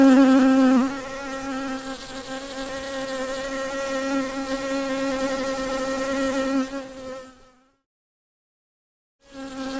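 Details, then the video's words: Flying honey bee giving a continuous, even buzz with rich overtones that fades away after about seven seconds, leaving silence until the drone returns at the close. "Bee sound"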